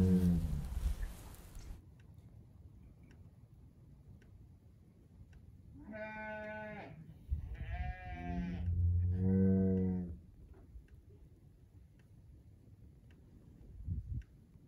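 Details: Farm bull mooing, its calls loud and echoing: three harmonic moos in close succession about midway, the last deeper and longer, after a rough noisy opening and quiet stretches of low background rumble.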